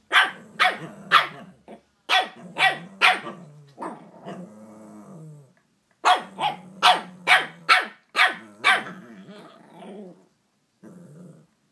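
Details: Two Shih Tzus, five-year-old Scratchie and three-month-old puppy Lady Bug, still getting used to each other: rapid volleys of shrill barks, about two per second, broken by low drawn-out growling.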